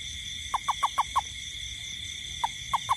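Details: Toad heard in a garden at night in the rain, giving five rapid short downward-slurred notes, a pause of over a second, then three more spaced notes, with constant high-pitched droning in the background.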